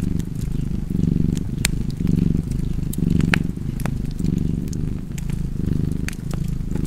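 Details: A cat's continuous low purr, pulsing gently in and out with its breathing about once per second, while a fireplace crackles and pops in the background.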